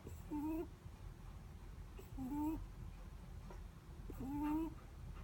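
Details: Soft snoring from a sleeping Netherland Dwarf rabbit: three brief nasal squeaks, each rising then dipping, spaced roughly two seconds apart over a quiet low rumble.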